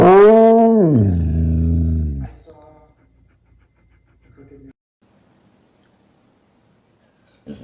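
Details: Pet dog in a funny compilation of 'talking' dogs, giving a loud, rich, voice-like howl that rises, drops and holds steady at a lower pitch for about two seconds, followed by a short fainter murmur indoors.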